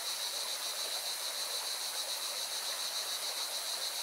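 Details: Cicadas singing beside a mountain river in Valencia, Spain: a steady, high, shimmering buzz with fast pulsing throughout, laid over the constant broadband rush of flowing water.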